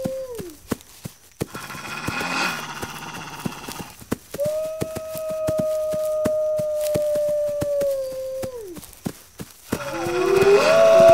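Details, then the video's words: Wolves howling: a long, steady, even-pitched howl that holds for about four seconds before dropping away at the end, framed by shorter howls at the start and finish, over a steady background of sharp rhythmic clicks. "Wolves Howling"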